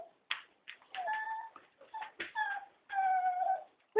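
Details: Cocker spaniel, one of three, begging to be taken for a walk; high tonal whines and short yelps, some held nearly a second, with gaps of silence between.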